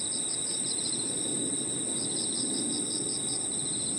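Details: Crickets and other insects in a park in the evening: a steady high ringing trill runs throughout, with a pulsed chirping band repeating in rapid bursts above it, over a low murmur of background noise.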